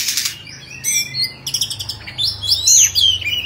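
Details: Oriental magpie-robin of the Bạch Bạng type, kept as a pet bird, singing while displaying: high thin whistles and sharp swooping notes, with a brief noisy rasp at the start and a faint low hum underneath.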